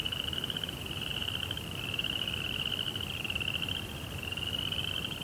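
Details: Night-time cricket chorus: continuous shrill, rapidly pulsing trill that wavers slightly in pitch, a quieter lower trill layered under it, over faint rumbling background noise.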